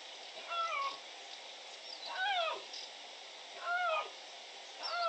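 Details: Young dispersing male Iberian lynx meowing to make itself noticed while two males claim the Cerro Escribano territory, Spain, 16 June 2023; four clear, tonal, arched-then-falling mews roughly every 1.5 seconds over a steady background hiss.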